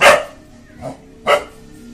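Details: A Rajapalayam dog, an Indian native breed, gives sharp, loud barks at a stranger, an aggressive guarding display.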